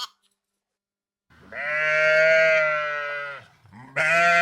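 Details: Flock of sheep in a rural field; one long, steady, drawn-out bleat lasting about two seconds, fading at the end, followed by the start of another bleat.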